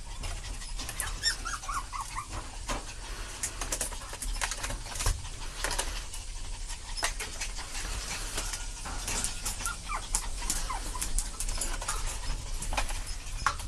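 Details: An adult parent Chihuahua gives soft, high whimpers and breathy panting amid scattered clicks and handling noise.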